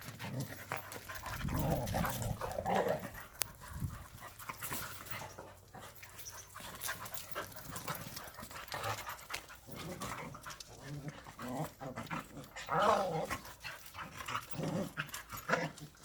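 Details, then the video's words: Korean native Jindo dogs Sundol, Baekho and Ttoksuni during exercise time: steady panting with two short high whines around three and thirteen seconds, plus rustling movement and brief human voices. "한국 토종 진돗개 순돌,백호,똑순이 운동시간!!"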